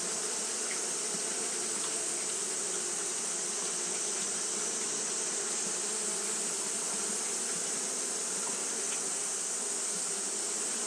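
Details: Japanese honey bees fanning nonstop because of the heat: unbroken, uniform buzzing with a deep humming layer and a strong high hiss throughout.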